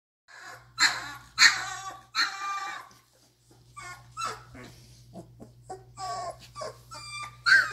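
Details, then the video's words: Doberman puppies two and a half weeks old whining and whimpering indoors, a series of high, harmonic squeals and short yelps, some loud and some softer, with a steady low hum underneath. "Glance into Day of 2-1/2 Week old Doberman Puppies"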